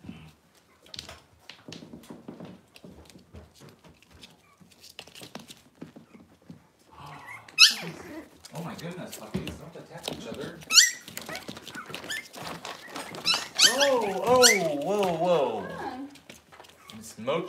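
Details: Six-week-old Cavalier King Charles Spaniel puppies in a puppy pen, handled while being dewormed and having toenails trimmed. Quiet voices and shuffling come first, then sharp squeaks and a run of wavering, high puppy whines near the end.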